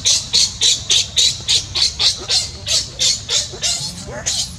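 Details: Newborn baby monkey crying while its mother does not care for it: a steady run of sharp, high, noisy squeals, about four each second, with a low rumble of background noise underneath.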